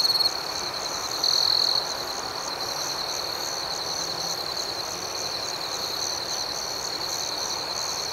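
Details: A steady shrill cricket chorus at night outdoors, one louder half-second trill near the start, then an even, rhythmic high chirping hum continuing unchanged.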